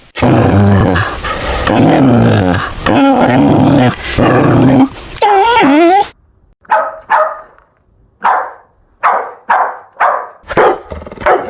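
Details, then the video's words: Puppies at play with toys on green grass outside; dense overlapping growly barking for six seconds, then a run of short, separate yips roughly every half second. "Dog Barking Sounds - Dog sound"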